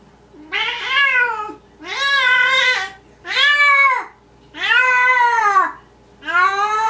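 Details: Maine Coon cat talking indoors in the middle of the night, caught on tape: five long, drawn-out, wavering meows about a second each, rising then falling, spaced roughly a second apart in a quiet room with a faint low hum.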